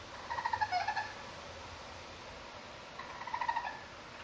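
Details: Baby raccoons, part of a foursome of young urban animals passing over a terrace, give two short quavering trills about three seconds apart, with near silence in between.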